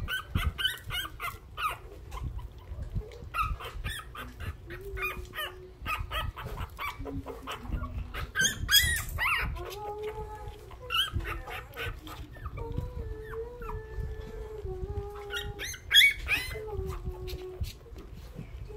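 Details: Newborn hungry puppies whimper and squeak in a busy litter, high short cries mixed with longer lower drawn-out whines that waver in pitch, over constant scuffling and handling noise.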